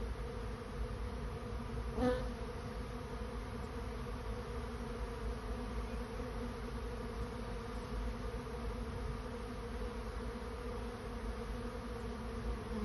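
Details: A swarm of honey bees finding a new home hums in an even, sustained low drone. One brief sharp higher sound breaks in early, then the steady buzz carries on unchanged.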